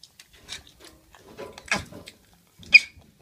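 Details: Baby macaque at Drusillas zoo in Sussex with the hiccups: a few short, soft, breathy clicks spaced irregularly, ending in one sharper squeaky hiccup near the end.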